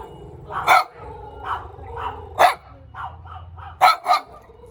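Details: Cute little dog barking in short, sharp bursts, some loud and some softer, with a quick double bark near the end over a faint low hum.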